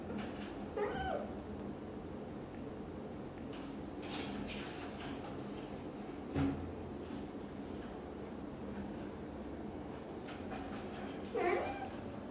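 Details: Black golden British Shorthair kitten Cream leaves the nest for the first time as mother Xaxa follows closely; two short, faint meows, one near the start and one at the end, with a brief knock and quiet hum between.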